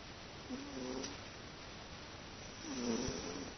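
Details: Teto the pet cat snoring peacefully while sleeping indoors, compared to an old man's snore: two short, low, slightly wavering harmonic snores, the second louder and rising then dipping, in a quiet room.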